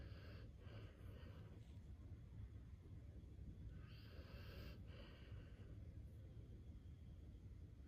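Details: Sleeping Akita snores, with slow breathy rasping breaths rising and fading over a constant low background rumble.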